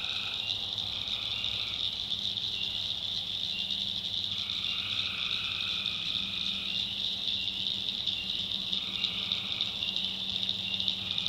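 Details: Swampy North Carolina backwoods by night: tree frogs fill the air with an unbroken high trill, joined by intermittent lower buzzy drones lasting one to two seconds each.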